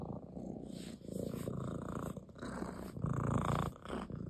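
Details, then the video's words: Ginger, a male domestic cat resting on a lap, rubs his head against a hand while purring: a steady, low rumbling drone that swells and softens with each breath, with soft rubbing and rustling noises over it. "Ginger the cat rubs his head against my hand and purrs"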